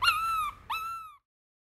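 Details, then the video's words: Miniature Schnauzer puppy, male, having a fit while being carried, gives two drawn-out high whines, the first longer and slowly falling, the second shorter after a brief gap, then silence. "Fantom doesn't want to be picked up!"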